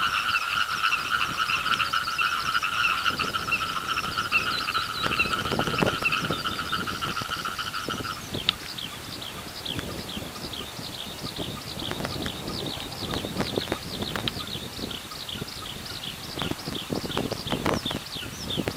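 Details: Frogs calling from a rice paddy beneath a singing skylark, their chorus growing steadily louder; rapid, rattling croaks repeat several times a second, while a sustained whistled trilling stops after about eight seconds.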